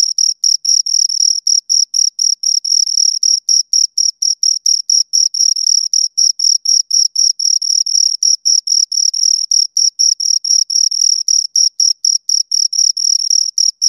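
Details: Close, loud chirping of two crickets: a long, unbroken series of high, metallic pulses at a fast steady rhythm, occasionally merging into short trills, against complete quiet.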